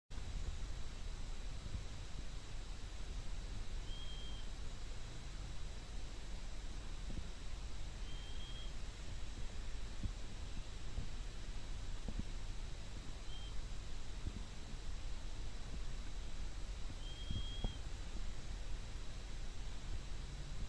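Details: Sleeping Chihuahua making faint, thin, high-pitched nasal whines, each a brief steady whistle repeated roughly every four to five seconds over a low, steady background hum.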